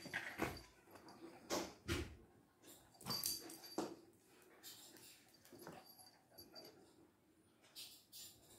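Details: Bruno and Mars, two Lhasa Apso dogs locked in a fight, give sharp harsh snarling bursts in quick succession during the first four seconds, followed by softer, more scattered rough sounds and a final burst near the end.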